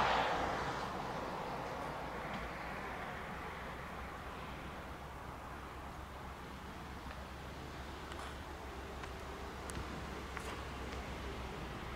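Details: A steady low rumble like distant traffic or wind fills the recording. There are faint clicks and brief rustles, but no animal voice stands out.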